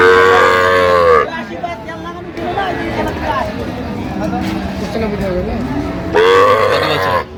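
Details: Cows and calves lowing at the Amabari Haat market. A strong, harmonic moo opens the passage and another loud one comes near its end, with chatter and crowd noise filling the gap between them.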